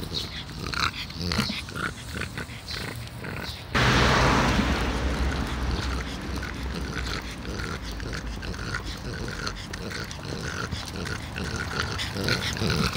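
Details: An elderly French Bulldog named Taro, aged 12, recorded 16 July 2016. Quick, rhythmic snorts and snuffling pulses run throughout, growing louder and noisier from about four seconds on, with faint human voices in the background.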